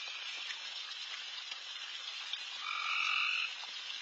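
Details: Late-night backyard full of insanely loud frogs around feeding deer; a dense, crackling chorus runs throughout, and a louder trill rises above it for nearly a second toward the end.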